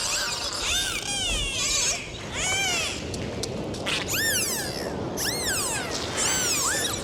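Dolphins trade high, sweeping whistles that arc up and down over a steady hiss of sea noise.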